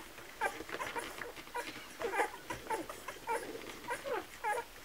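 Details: Kromfohrländer puppies at a milk feeding, giving short squeaky whimpers in irregular bursts, several high thin cries rising and falling, indoors in a small room.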